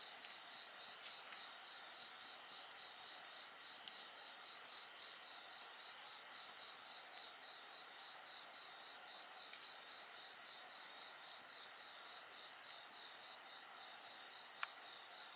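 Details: A bonfire and insect voices: continuous high-pitched ringing from several insects with a soft pulsing trill beneath, punctuated by scattered crackles of burning wood.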